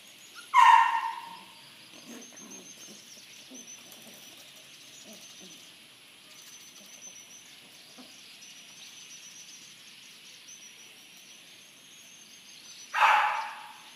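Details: Corgi dog giving two short, sharp barks about twelve seconds apart, with near silence and faint faraway noise between them.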